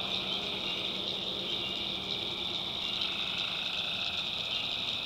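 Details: Tree frogs at night in a swamp of the North Carolina backwoods, an even, continuous high-pitched trilling chorus with faint lower pulsing throughout and no other distinct sounds.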